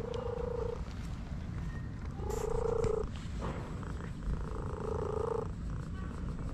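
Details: Orange cat enjoying a massage, giving three drawn-out, steady tonal meows about two seconds apart, each under a second long, over a low background rumble.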